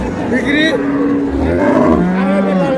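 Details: Cattle at the Ambari cattle market among cows and calves for sale: a low, drawn-out steady moo heard through people talking and bargaining over prices.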